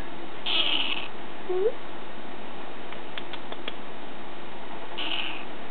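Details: Bengal kitten after a nap giving two short, high meows, one early and one near the end, with a small rising chirp and a few faint clicks between them in a quiet room.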